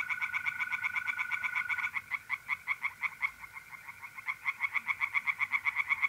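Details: Pond-dwelling tree frogs singing by night in mid-April, North-East Italy. Rapid rattling pulses repeat steadily for six seconds, slowing slightly and then quickening. Mole crickets trill steadily underneath at first.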